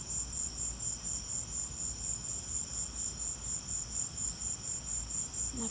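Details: Steady high cricket chirps pulse about twice per second through a lightning storm, over low background rumble, with a brief sound at the very end.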